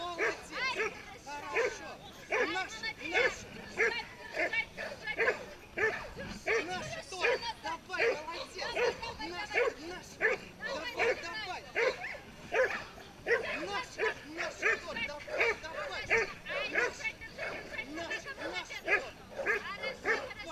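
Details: Pit bull at a pit bull show during a tug-of-war event; sharp, arching barks and yelps come more than once a second, overlapping with talking voices and crowd noise.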